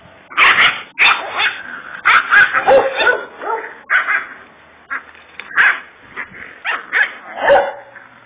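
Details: Kangal dog, described as a Kurdish fighting Kangal, giving a burst of harsh barks, several close together then spaced out, with broadband clattering noises between them.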